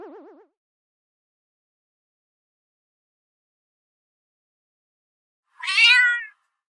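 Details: Pet cat giving one short, bright meow that rises then falls, after a brief low warbling electronic tone at the start; quiet in between.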